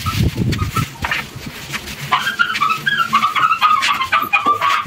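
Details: Newborn puppies of a pregnant rescue shelter dog, born with a foster family, give thin, high squeaks. The squeaks come in quick uneven runs through the second half, over low rumbling and scattered handling noises.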